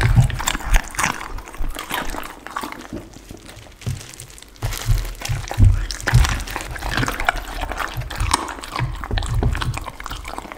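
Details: Raw chicken, duck and cauliflower being eaten by a pit bull indoors, recorded close up for ASMR: rapid wet chewing and crackling crunches, with a brief lull near the middle.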